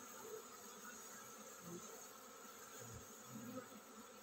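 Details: Honey bee colony preparing to swarm, a steady low droning hum of many bees with faint bands and brief louder swells near the start and end.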